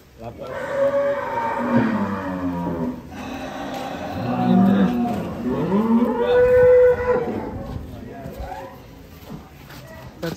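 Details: Large cattle coming down off a truck at an Indonesian farm, bellowing in three long, drawn-out moos, the last steady and higher, over faint voices and handling noise.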